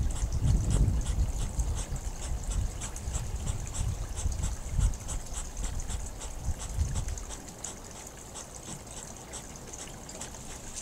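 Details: Hedgehogs snorting during courtship: low, rough huffing bursts come in quick irregular runs over the first seven seconds, then fade, while a babbling pond trickles steadily in the background.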